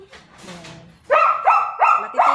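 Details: German Shepherd puppies at Zondiram Kennel: after a second of faint background noise, four sharp, high yapping barks follow in steady succession about every third of a second.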